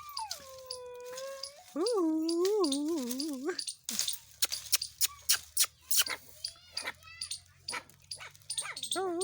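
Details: Puppies with their mother, whining in long, drawn-out, wavering tones that rise and fall, two extended whines in the first four seconds, followed by clicking and knocking noises and human voices talking close by.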